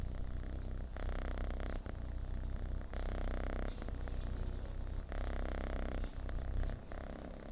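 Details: Purr of a rescued homeless kitten, a deep continuous rumble broken into alternating breath phases about a second long, with a faint high squeak midway.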